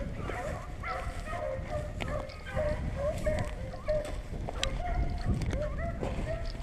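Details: Beagle pack baying while chasing rabbits on a hunt in Vera, Virginia; several dogs give overlapping drawn-out, bending bays, some rising then falling, over a steady outdoor rumble and faint human voices.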